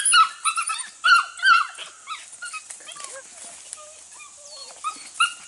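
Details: Registered Border Collie pups, six to eight weeks old from two litters, working goats for the first time; shrill, harmonic yips and whines come in quick bursts early on, then fainter scattered cries and a man's voice.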